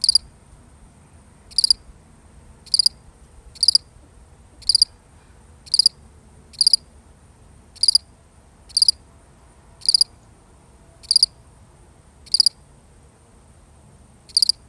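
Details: A solitary cricket, really recorded, gives a long run of thirteen bright, high chirps, each a quick cluster of pulses, spaced roughly a second apart with slight unevenness; quiet background.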